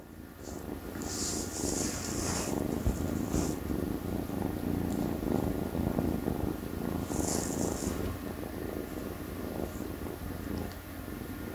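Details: Purring from a tiny orange kitten while it grooms itself: a steady low rumbling throb throughout, with brief soft high licking or rustling bursts near the start and around seven seconds.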